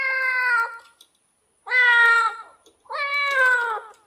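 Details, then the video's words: Domestic cat calling with three loud, sustained meows under a second long, slightly falling at the end, spaced about a second apart in a quiet room. "Real Cat sound effect"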